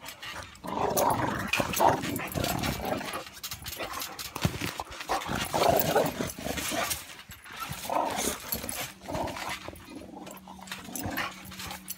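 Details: Boxer dogs wrestling in a playful bout, giving repeated low growls and snorting grunts amid scrambling, thudding movement; a human voice is heard near the end.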